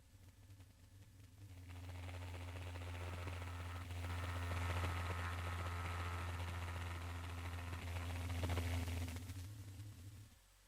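A blue whale gives its B call, a sustained low tonal moan that holds nearly level for several seconds. It is the strongest and clearest of the species' call types, with faint room noise behind it.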